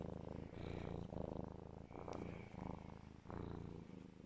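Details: Legolas, a pet serval cuddling in his owner's arms, purring very loud; deep, rumbling purr in steady bursts of about a second each, pausing briefly between breaths.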